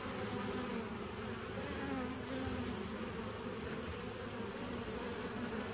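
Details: Bee hum from 27 September 2018, thick and unbroken, with a low drone and brighter humming tones layered above it.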